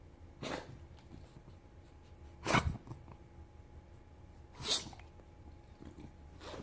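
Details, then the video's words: A sick English bulldog puppy gives short, harsh coughs, spaced a couple of seconds apart, indoors. "English bulldog coughing"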